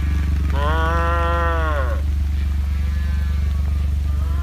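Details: Heifer calf cut off from the herd on a ranch calls out with one long, strong, slightly arching moo lasting over a second, then a fainter answering call, all over a constant deep mechanical drone.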